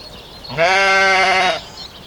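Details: Domestic sheep giving one steady, harmonic-rich bleat that lasts about a second, held at an even pitch and cut off cleanly, with a quiet background.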